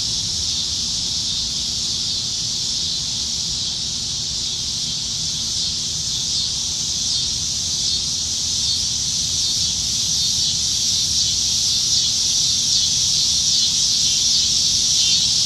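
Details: Nebraska cicadas singing from the trees on a July summertime evening, a continuous high buzz that grows slightly louder and more rapidly pulsing toward the end.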